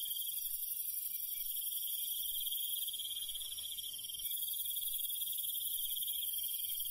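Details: Night-time countryside crickets keep up an unbroken high, pulsing chirr, overlaid by hissing higher insect tones and a soft low background murmur.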